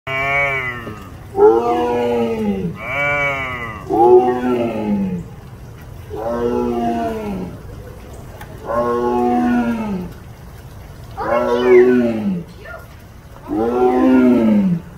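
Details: Tiger at the Louisville Zoo roaring in a series of about seven deep, moaning calls, each falling in pitch and lasting around a second, spaced roughly every two seconds.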